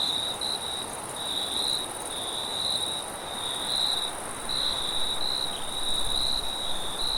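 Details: Cricket at night, a steady high chirping band pulsing in repeated bursts, with a fainter higher band above it and a broad wash of wind noise underneath.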